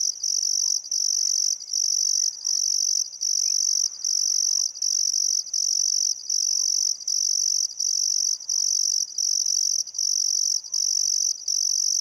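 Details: Crickets chirp in loud, high, steady pulses over a minute-long chorus, with birdcalls, on a still summer afternoon at sunset by the Barcoo River, Welford National Park, Outback Queensland, Australia.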